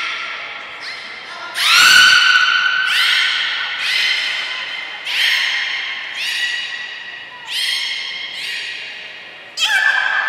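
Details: Belugas training together at Port of Nagoya Public Aquarium on 2 April 2023, all animals involved; a run of rich, reedy squeals repeated roughly every second, each starting with a quick upward sweep, loudest early on, in a large indoor hall.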